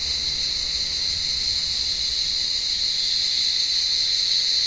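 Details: Warm-evening cicada chorus in an olive tree that draws blind pet cats up into the branches; an intense, continuous high-pitched drone with a weaker lower band, even in loudness from start to finish.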